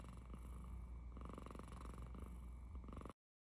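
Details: Domestic cat snoring: a low, rough rumbling with fast steady pulsing that swells gently with each breath, stopping abruptly after about three seconds.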